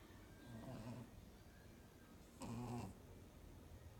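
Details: Sleeping pug snoring: two rough, low, buzzy snores, one brief and soft, the second louder and harsher, separated by quiet breathing in an indoor setting.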